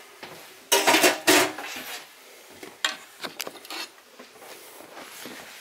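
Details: Indoor clattering and rubbing sounds, like dishes or objects being handled, come in short bursts over a quiet room background with no animal voice.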